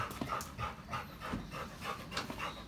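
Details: Labrador Retriever, the family's youngest dog, out on a walk, panting in quick breathy bursts about three times a second. A faint steady tone runs through.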